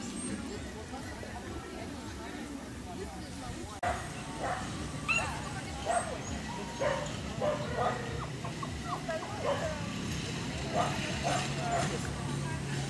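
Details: Dachshund with a rabbit giving a run of short, high yipping barks, irregular and roughly once a second from about four seconds on, over a steady low rumble and broad background noise.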